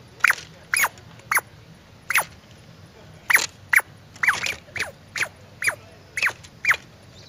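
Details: Loud squirrel chirps, each a quick falling squeak, repeated about every half second, mixed with short rustling bursts of broadband noise.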